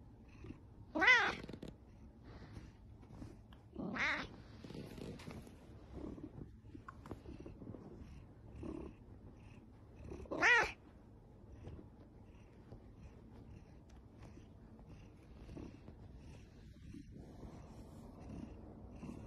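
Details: Ragamuffin cat meowing indoors; three loud, short, nasal meows with rich harmonics at about 1, 4 and 10.5 seconds, separated by quiet stretches with faint rustling and a low hum near the end.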